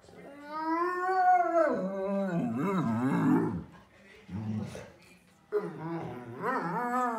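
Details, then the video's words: Nico, an older Pudelpointer dog indoors, frustrated because he wants to go outside, gives long wavering howl-like moans with rising and falling pitch, then grumbling lower sounds, sounding like a wookie; a person speaks between his vocalizations. "Nico the older talking Pudelpointer"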